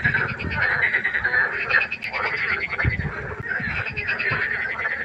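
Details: Frog chorus at night by a pond: dense overlapping croaks with pulsed, rattling calls and low thumping notes, many frogs calling at once without pause.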